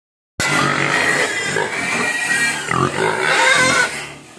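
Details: Hungry pigs crying and begging for food: a dense chorus of shrill, overlapping squeals and whines, some rising and falling, with low grunts underneath, sustained throughout.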